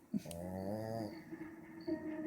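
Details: A female pug asleep, which rarely snores, gives a deep, steady, buzzy, droning snore for about a second, followed by quieter, rougher breaths in a small indoor room.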